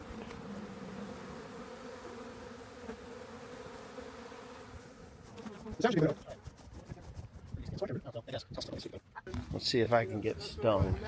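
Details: Swarm of honey bees found near a rain gauge, later collected by a friend; a steady, even low hum drones for about five seconds before people start talking over the continuing buzz.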